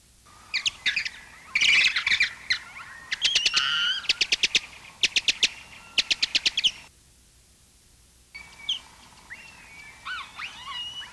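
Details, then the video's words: A large colony of Mexican free-tailed bats, a common Texas bat, gives echolocation calls slowed down so the individual sounds are heard as chirps, squeaks and rapid clicking bursts. "the following calls were made by a large colony of mexican free-tailed bats"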